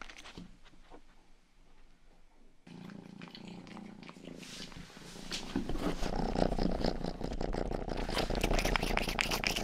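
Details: Rangi, the youngest pet cat, purrs into a 3Dio binaural microphone: a steady low rumble that starts soft and grows louder after about five seconds, joined by wet, crackly ear-licking grooming noises.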